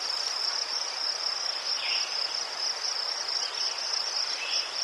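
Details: High, ringing cricket chirps from Ukraine among chrysanthemums, pulsing rapidly and steadily on one note, with occasional faint short chirps slightly lower in pitch.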